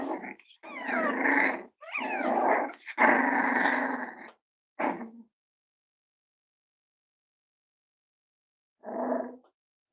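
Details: Six-week-old Cavalier King Charles Spaniel puppies indoors give a run of harmonic whining, yelping and growly sounds in bursts of about a second, with short gaps. After a long silence, one last brief whine follows.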